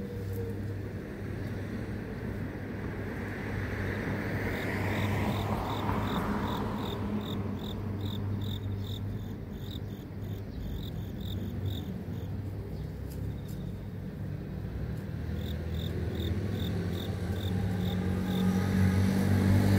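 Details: City grass insect sound: long runs of rapid, high, regular chirps continuing through most of the recording, while a vehicle passes with a rising and fading whoosh and constant low traffic drone underneath.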